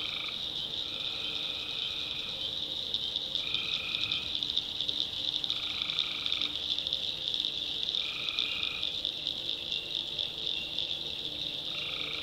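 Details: North Carolina swamp at night, tree frogs calling: a constant high-pitched chorus beneath regularly repeated buzzy one-second notes, about six of them, arriving every two seconds or so.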